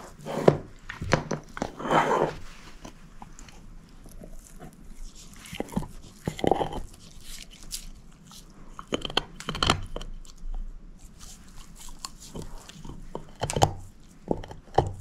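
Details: Shepherd mix dog named Moose, a female, eating a bone indoors with steady crunching and gnawing. Sharp cracking bites come every second or two, with softer chewing and licking between them and no talking.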